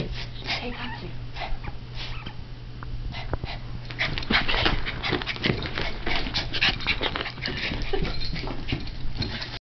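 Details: A 3½-month-old male Shiba Inu plays with his favourite toy, giving short whines, huffs and grumbling noises amid clattering and a low steady hum.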